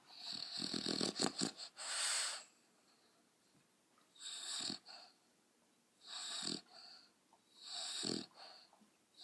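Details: Pet dogs making weird noises: rough, breathy snorting bursts with a hissy upper edge and a low grunt at each one, a fast cluster at the start, then single bursts about every two seconds.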